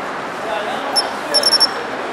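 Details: Japanese pine cricket in urban shrubbery, heard in autumn; a single quick run of clear, tinkling high chirps, about four notes close together, over steady street rumble.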